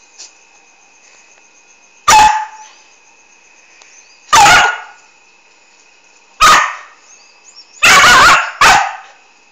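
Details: A noisy Australian Kelpie dog recorded on a phone; five loud, sharp barks at irregular intervals, the last two in quick succession, with a steady electrical whine in the background.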